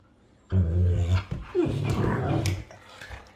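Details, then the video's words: Arlo, a 1.5-year-old long-haired German Shepherd, and Appa, a 2-year-old Husky, wrestling indoors: a deep, steady growl of about half a second, a short break, then a longer rougher growling grumble lasting about a second. "Arlo the German Shepherd and Appa the Husky are caught cuddling and play it off by wrestling"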